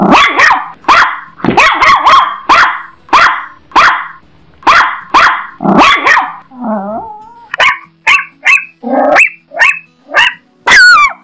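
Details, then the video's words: Chihuahua barking in a rapid series of sharp, high yappy barks, several in quick bursts, then a whiny wavering yelp and a run of thinner, clipped yips ending in a shrill rising squeal. "Chihuahua dog sound"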